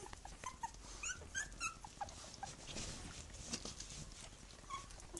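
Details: Three-week-old puppies with their mother give high, nasal whines and squeals, several clear rising-and-falling cries clustered early, then scattered shorter squeaks, with rustling and bumping movement underneath.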